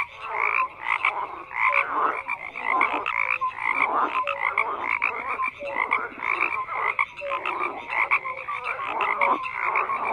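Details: An unbroken frog chorus with many callers overlapping, mixing rattling pulse trains and brief tonal blips, and louder bursts every second or two over a constant background of croaking.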